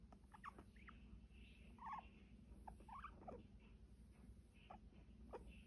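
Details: Pet guinea pig being petted, giving soft, brief high squeaks and chirps scattered across a few seconds, faint over a steady low hum and light rustling.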